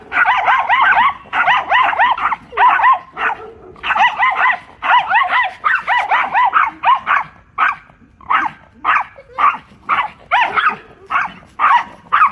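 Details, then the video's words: Mother and daughter Pomeranians taking on a large German Shepherd in a playful dog fight; frantic high-pitched yapping in tight rapid runs, later spacing into separate barks about twice a second. "Funny Dog Fight | Pomeranian Masti"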